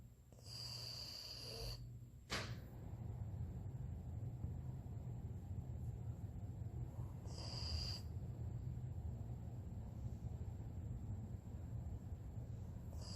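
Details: Sleeping dog snoring: a steady, low rumbling drone of breaths runs through the whole recording. A sharp click sounds near two seconds, and brief high whining tones appear early on and again around eight seconds.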